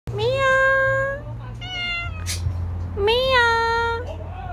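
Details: Domestic cat meowing: two long, clear, tonal meows with a slight rise then level pitch, plus a shorter softer call between them, over a low steady hum in the background.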